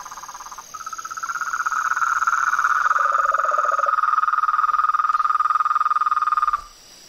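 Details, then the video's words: Frog calling in nature, a long fast pulsed trill around a steady mid pitch lasting over five seconds, with a lower second caller briefly joining midway and a faint high steady insect-like hum behind. "Os sons dos sapos , rãs e perereca na Natureza"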